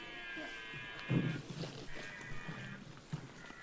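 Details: A red deer in the Weerterbossen woods gives deep, gruff rutting bellows in short grunting bursts, recorded 26 September 2016 from about 100–300 m amid spectators and clicking cameras; steady hiss and drone underneath.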